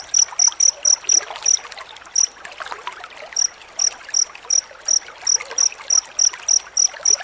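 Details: Cricket chirping in a dense series, used as master sound for training white-rumped shamas; short bright pulses in quick bursts, with a pause near the middle and a gap around three seconds, over a faint trickling background.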